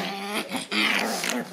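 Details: Wriggly young Shiba Inu vocalizing indoors, a short low rough growling grumble in two bursts with a brief whine-like rise near the end.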